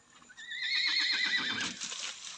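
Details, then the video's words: Horse said to know its own name neighs in response to it: a loud whinny with a quavering, wavering tone over about one and a half seconds, trailing off, with a few faint knocks afterward. "kabayong alam ang kanyang pangalan"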